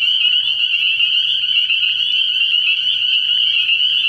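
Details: Spring peepers calling at night from a frog pond early in the year: a dense, unbroken chorus of high, shrill peeps overlapping into a steady ringing band, with no pauses across the whole stretch.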